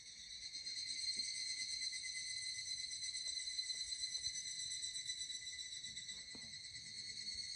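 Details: Evening cicada heard during a hot summer walk in the Koya Sanzan mountains, Japan: continuous bright, shrill ringing with a rapid pulsing beat, rising a little in loudness, over soft low rustling and occasional light taps.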